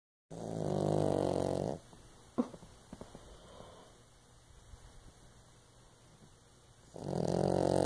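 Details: Female pug–Shih Tzu mix snoring loudly while asleep beside her owner: two long, rasping, harmonic snores open and close the recording, with quiet breathing and faint clicks in between.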